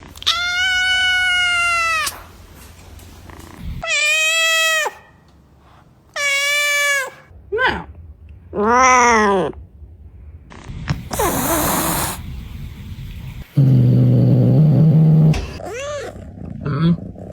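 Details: Various domestic cats meowing: long, clear harmonic meows, some rising then falling, separated by short pauses, with a noisy hiss-like burst in the middle and a quieter low hum underneath.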